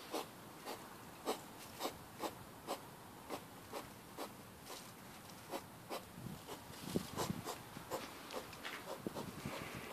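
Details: Hedgehog out on a midnight walk with its partner behind a house, recorded late at night on a mobile phone: short, breathy puffing grunts repeated about twice a second, growing more irregular and mixed with rustling toward the end.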